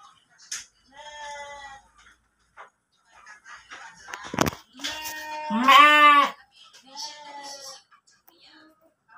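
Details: Pregnant kacang goat (kambing kerikil) kept in a pen at Tanjungjaya, Cipunagara, Subang regency: several short nasal bleats with stacked harmonics, the loudest and longest near the middle, over soft background music.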